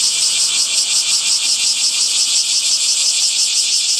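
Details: Shrill summer cicada calls throbbing in clear, regular pulses, close to three a second, over a continuous high-pitched buzzing drone.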